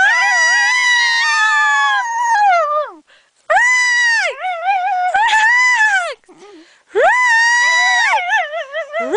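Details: A singing dog named Sweety holds steady, high, wailing notes that bend downward and break into quick wobbling trills, in three long phrases with brief gaps between them.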